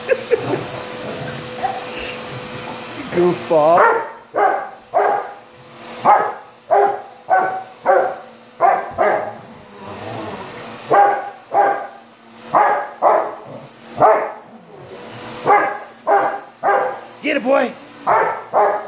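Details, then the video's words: Onyx the Rottweiler barking at and attacking the vacuum; after a few seconds of motor noise, a long rapid series of gruff barks, roughly two per second, some with whiny rising yelps, brief pauses between volleys, vacuum whine throughout. "ONYX THE ROTTWEILER ATTACKING THE VACUUM LIKE A WILD BEAST"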